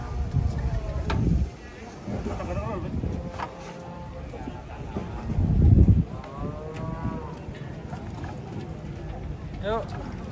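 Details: Giant cattle being unloaded from a truck in the morning give deep, low moos in two loud bursts, the first near the start and a longer one midway. Voices and vehicle noise run underneath.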